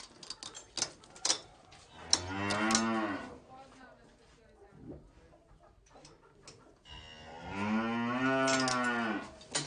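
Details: Farm cow giving two drawn-out lowing moos several seconds apart, each swelling and then fading, with light tapping and clicking sounds in the quiet gap.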